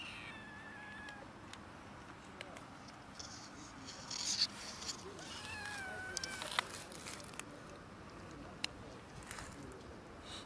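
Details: Cats and a kitten quarrelling over food: faint, wavering, drawn-out cries rising and falling near the middle, with a brief harsher burst just before, scattered sharp clicks and knocks, over a low steady background hiss.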